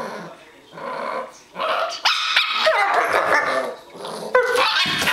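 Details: Miniature Pinscher snatching a bone from a Doberman: low growling gives way to rapid, harsh, high barks in quick bursts, with a final sharp yap near the end.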